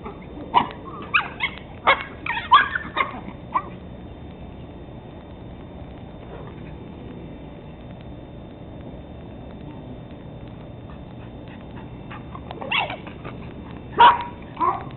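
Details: Teddy Roosevelt Terrier pups, 13 weeks old, recorded 17 October 2007, giving two bursts of short, high yapping barks, a quick cluster early on and another near the end, with a quiet stretch between.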